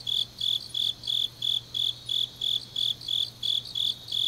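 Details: Grass insects on a deep autumn night in Changnyeong, South Gyeongsang, South Korea, chirping in a steady series of short, high, bright pulses, about three per second, with a faint low hum underneath.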